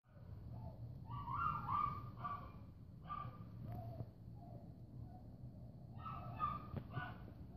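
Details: Dog barking and crying at 6:45 a.m. on Monday, 10 February 2015; whimpering, tonal yelps and short barks in uneven bursts, with a steady low hum beneath.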